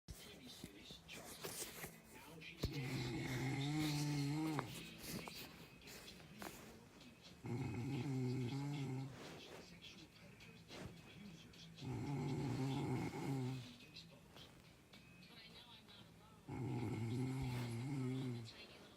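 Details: ['Sleeping dog snoring: low, droning tonal snores of about two seconds each, separated by quieter breathing gaps, roughly thirteen per minute, with faint background hiss.']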